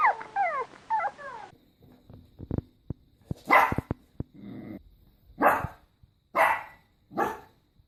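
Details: Dog barking: opens with high, sliding squeaky whines and sharp clicks, then four loud, harsh barks about a second apart.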